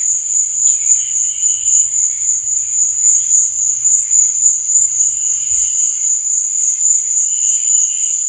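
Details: Constant thin, high cricket trill on a night, beating in quick regular pulses, with a few softer lower chirping phrases and a faint low rumble early on.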